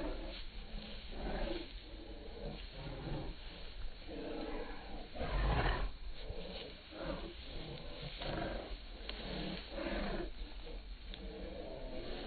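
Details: Bull Terrier dog making low, rumbling growl-like grumbles in rough bursts roughly every second, each a throaty rasp, with one louder, harsher burst near the middle and a steady low hum underneath.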